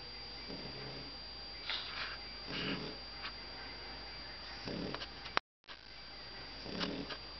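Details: Pug sleeping under a desk, snoring softly: breathy, rasping snores come roughly every second or two against quiet indoor background hum.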